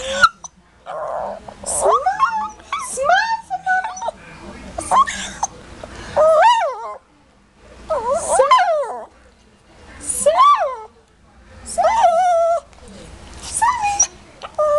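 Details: Shih Tzu complaining about smiling and a bath: irregular bursts of high, pitch-bending whines and yips, several quick ones clustered together, with short silent gaps between the bursts.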